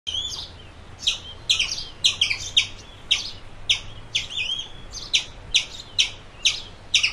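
A squirrel calls with short, sharp, high-pitched chirps repeated in a quick, fairly even rhythm. Some notes carry a brief whistled edge between the harsher clicks.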